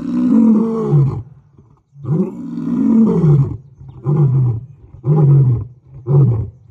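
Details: African lion on safari, a long deep moaning roar followed by a series of shorter grunting roars, each about a second long, spaced roughly a second apart and fading in strength.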